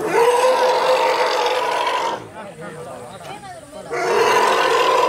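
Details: Elephant mother and calves trapped in a well, being rescued. A loud continuous harsh roar drops away to a quieter stretch of lower rumbling and voices, then the strong roar returns.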